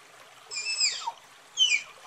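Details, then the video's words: Two tapir whistles about a second apart: first a long shrill note bending down at its end, then a shorter bright squeal, over a soft hissing background. "Tapir Calling Sound"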